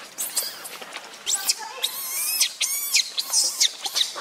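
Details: Monkey, with Lucie described as very jealous of Rainbow: a run of shrill, high-pitched squeals and screams with wavering, bending harmonics, coming in short bursts of about a quarter to half a second.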